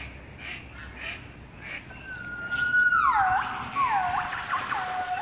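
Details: At Artis zoo in Amsterdam, a gibbon holds a steady whistled note that slides down, then rising and falling swooping hoots follow; faint voices before the song starts.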